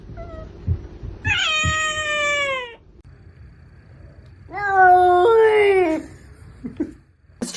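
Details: Domestic cat giving two long, drawn-out meows, each about one and a half seconds, slightly falling in pitch with rich harmonics, separated by a quiet pause, with faint thumps in a small room.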